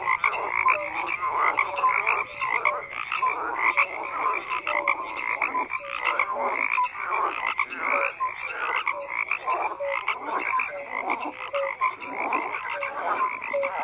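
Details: Continuous frog chorus: dozens of overlapping croaks, raspy pulses mixed with short piping notes, steady in loudness throughout, nothing else audible.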